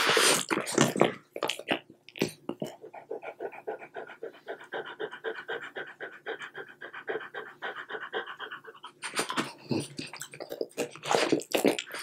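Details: French Bulldog snacking on light string cheese; a loud burst of chewing noise opens, then even rhythmic panting runs for several seconds before more mouth and chewing sounds return.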